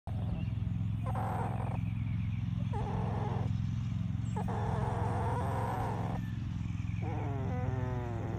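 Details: Happy Australian Shepherd puppy from a homestead litter grunting during a belly rub: a steady low rumbling throughout, broken by four rough, throaty grunting bursts about a second apart, ending in a short whiny, whimpering vocalisation.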